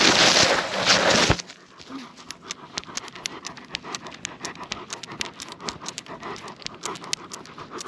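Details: Lucia, a Great Pyrenees, on a night walk alongside Timmy the Golden Doodle; a burst of loud rushing noise fills the first second, then soft, rapid, breathy panting follows in an uneven rhythm, about 85 breaths a minute.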